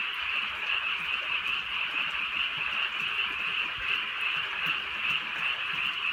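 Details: Many frogs croaking together on a rainy night in the countryside, a thick, pulsing high chorus that never stops, rain faintly audible beneath it.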